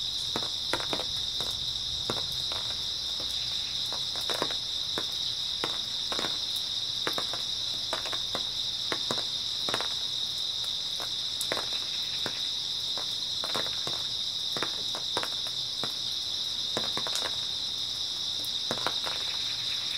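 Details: Grass insects trilling through an early autumn night, a constant high shimmering drone lasting the whole stretch, punctuated by many irregular clicks and light tapping sounds.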